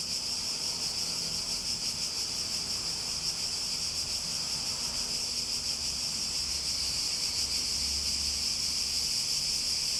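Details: Cicadas singing together in an unbroken, piercing high drone, slightly pulsing and steady throughout, with only a soft low background murmur.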